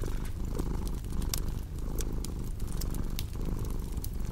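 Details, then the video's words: A cat's deep, continuous purr pulses in breath-long cycles under a layer of crackling, snapping firewood from a cozy fireplace. "Purring Cat with Cozy Crackling Fireplace Sound"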